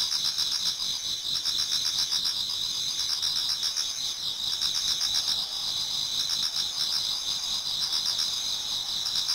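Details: Many autumn insects singing in a Japanese garden towards dawn: a dense, unbroken high-pitched chorus of two shrill ringing tones, overlaid with quick pulsing trills that swell and fade every second or two.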